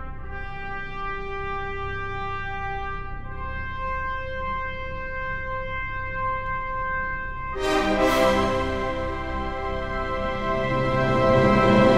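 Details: Sustained brass notes play slowly, then swell into a fuller, louder orchestral passage.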